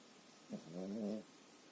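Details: Pekingese asleep, snoring comparatively quietly: a single drawn-out, buzzy, harmonic snore lasting under a second, rising slightly then fading.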